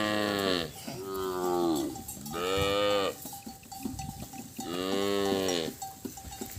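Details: Separated calves crying for their mothers: three long, loud moos with rich harmonics, each lasting over a second and spaced a couple of seconds apart, with quieter cries between them.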